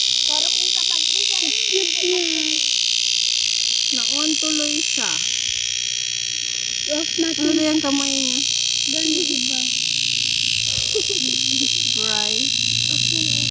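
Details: Summer cicadas keep up a continuous shrill buzzing wash over several seconds, with a person talking in bursts throughout.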